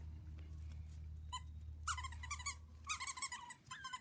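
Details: Havanese puppies from a litter whining softly, with clustered squeaky whimpers and short yelps breaking out after a quiet start, over a steady low hum in a small indoor room.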